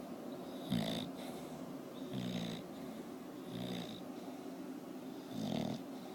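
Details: Porkchop, a sleeping bulldog, snoring in low rasping bursts about every one and a half seconds, each breath a short rough rattle over a faint steady hiss.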